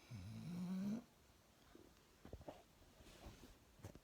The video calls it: English bulldog snores